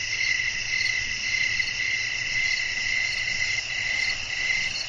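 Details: Night-time cricket chorus in a calm natural setting with wind, a continuous high shrill trill with pulses that swell and fade unevenly, roughly twice a second.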